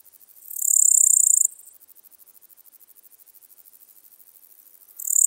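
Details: Littoral Dark Bush-cricket (Pholidoptera littoralis) singing at Seewiesen, Germany, on 11 July 2023: a loud, very high buzzy chirp of about a second, rapid soft ticking between, then another loud burst starting at the end.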